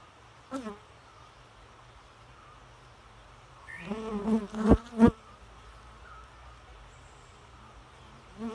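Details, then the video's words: Bee heard in flight: a brief low buzz early on, then quiet, then a louder wavering drone swelling over about a second and a half with sharp knocks, fading out and returning faintly at the end. "Bee Noise"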